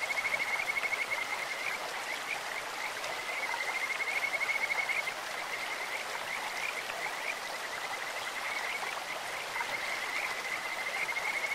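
A sweet, high-pitched whistling trill of Kajika frogs runs almost unbroken, rising and falling slightly in pitch. A loud, steady rush of flowing stream water fills the background.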